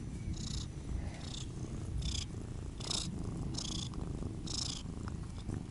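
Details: Siamese cat, one of the pair Otani and Yozora, purring in a steady low rumble, with soft rustling bursts recurring about once a second.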